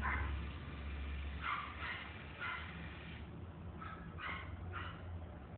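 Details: Mixed-breed dog at the Inu no Ie pet shop, Kurashiki Nakasho branch, Japan, giving short high yips in quick bursts, a few in the first half and three more spaced about half a second apart near the end, over a steady low hum.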